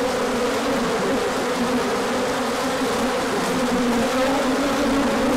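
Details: Steady massed buzzing of bees making a large orientation flight when sunshine returns after a cold spell; overlapping droning tones that slide slightly up and down, unbroken and even in loudness.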